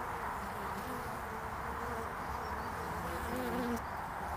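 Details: Honeybee traffic at a hive landing board on 22 February 2019, early spring: steady overlapping buzzing drone, several wingbeat tones gliding slightly as bees approach and leave.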